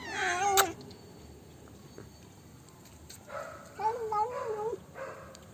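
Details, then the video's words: Black pet cat after eating Dairy Milk chocolate: a loud yowl at the start, quiet stretch, then a series of wobbling, warbling moans rising and falling in pitch. "My cat makes funny noises after having dairy milk chocolate"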